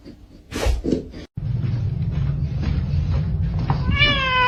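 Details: Domestic cat meows once near the end, a brief bent tone stacked with harmonics, after a few knocks and thumps over a constant low hum indoors.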